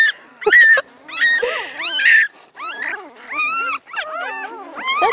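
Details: Spring 2016 litter of newborn Great Pyredane puppies: loud, wavering squeaks and rising-falling whines from several pups, some long and bending, coming in uneven bursts about a second apart.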